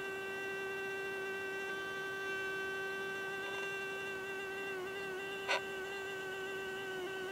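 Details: Continuous droning hum from a hoverfly's beating wings, even and tonal with many overtones and a faint wobble in pitch, broken once by a brief sharp click.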